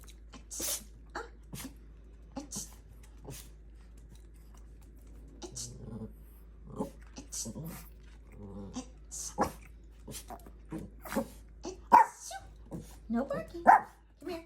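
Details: Adopted rescue Chihuahua reacting after its owner sneezes at it; short sharp yips and grumbling vocal bursts come irregularly, growing louder and closer together toward the end, with clicks and rustling in a quiet room.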